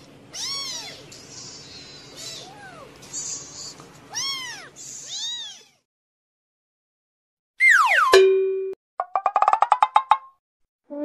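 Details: Kittens with their mother cat on their fourth day, the mother patiently guarding them; a run of high, bending mews fills the first half, then falls silent before added chime and sweeping sound effects.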